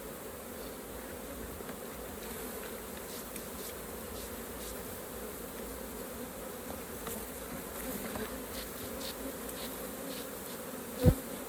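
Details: Honey bees droning at a hive while raw honey is harvested; an even buzzing hum over some low rumble, ending in a single loud knock.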